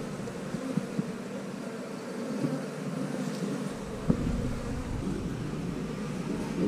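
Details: Honey bees from a house colony buzz steadily while a comb with queen cells is inspected; a low, even droning hum with a few soft clicks and handling knocks.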